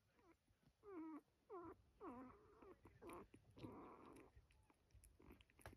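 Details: One of three orphaned coyote pups, kept until handed to a wildlife rescue, gives a series of short high whines dropping in pitch, roughly one every half second, with quiet room noise and faint voices.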